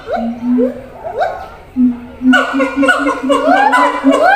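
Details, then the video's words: Siamang at a zoo, shouting to others living in a different enclosure far away: a steady low boom near 250 with rising whoops above, building into a dense chorus of overlapping upswept wails after two seconds. "gibbons sound"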